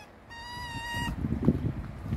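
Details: Indoor male red fox described as being in a bad mood: a single clear, level, high whine lasting under a second, rich in overtones, then rustling and handling noise.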